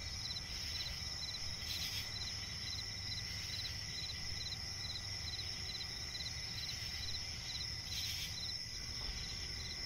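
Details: Swamp-edge forest at night with crickets keeping up a continuous shrill ringing and a regular pulse of brief chirps, two louder rasping bursts standing out, and a muted low-frequency rumble throughout.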